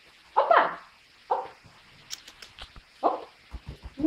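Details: Russian Toy Terrier puppy giving three sharp, high yapping barks spaced about a second or more apart, the first double-pulsed, with soft tapping and handling noises in the quiet gaps.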